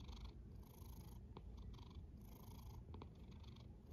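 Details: Domestic cat snoring: soft, breathy rasps come about every one and a half seconds over a steady low rumble, with a few faint clicks between breaths.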